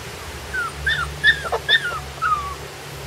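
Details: Puppies on their first day outside, giving about five thin, high whimpers in three seconds, each a short whine that rises briefly then slides down, over a steady low hum.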